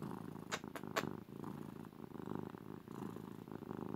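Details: Pet cat, a female, purring during cuddles: continuous deep, buzzy purr with rhythmic rapid pulsing and faint breathing swells, a few soft clicks near the start, in a quiet room.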